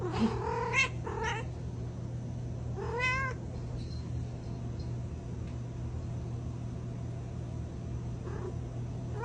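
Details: A cat gives a few short, fairly quiet meows spaced out across the first half, set against a steady low hum and soft background noise.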